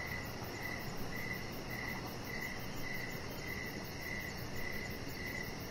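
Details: Crickets chirp in the evening around a deck where a chihuahua dog rests among decoration lights; brief repeated high chirps, roughly two per second, over low steady background noise.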